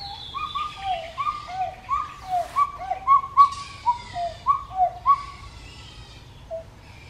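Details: Pileated gibbon giving a rapid run of a dozen clear whoops that alternate between higher and lower pitch, about two each second. The run stops after five seconds, and one last soft note follows.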